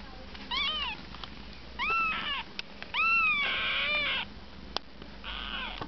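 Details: Eight-day-old Siamese kittens resting with bellies full of milk, cared for by their mother Kookos, give short high mews that rise then fall, three clear calls in six seconds plus a longer wavering cry, with light rustling between.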